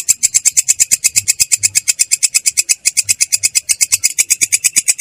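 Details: Katydid (belalang kecek) rolling call, described as clear and rough: rapid rasping pulses, about three per second, with high energy and a fainter band beneath, steady and continuous throughout.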